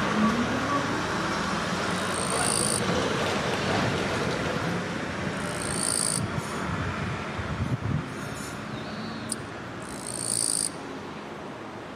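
Steady road traffic rumble with three brief high-pitched squeals, like brakes, and no clear animal voice.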